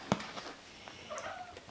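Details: Siberian kittens, seven weeks old, indoors while playing and eating; a soft, brief tonal meow drawn out for about half a second, preceded by a sharp click and followed by a faint rustle.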